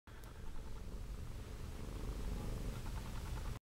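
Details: Toby, also called Tybalt, a Siamese cat up for adoption at Petango.com, recorded 16 December 2013 around 10:15 PM; a soft, continuous low rumbling purr under broad steady hiss throughout.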